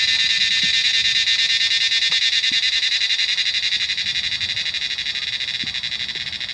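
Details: A mass of cicadas in Himalayan mountain trees during the monsoon makes a rainy-season cacophony: a continuous shrill, pulsating drone that stays loud and unbroken, with a few faint low taps underneath.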